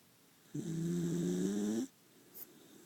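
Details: Maltese dog snoring like an old man while fast asleep in a pitch-dark room: one drawn-out, droning snore lasting over a second, with a steady low buzzy tone and faint hiss, then quiet.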